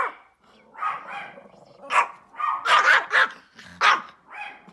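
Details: Small Pomeranian dog barking outside: a rapid, uneven run of high, sharp yaps, several loud ones bunched close together near the middle, with a soft background murmur.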